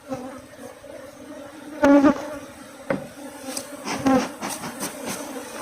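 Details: Asian honey bees at a farm in Thailand buzz as a larvae-filled comb is cut from the hive. A persistent low drone runs throughout, broken by a few loud thuds and clicks from the work.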